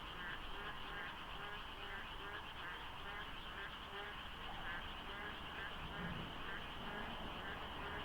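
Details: Frogs calling before daybreak during the monsoon at the Deokso IC expressway, misty and quiet of cars; a thick wall of overlapping rattling croaks runs throughout with a low rumbling underneath.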